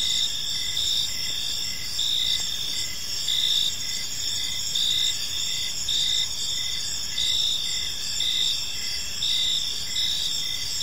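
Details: Crickets chirping on an evening in a peaceful park: a dense, high-pitched chorus of steady trills with regular pulsed chirps layered over it, forming a continuous shimmering ambience with no other clear sounds.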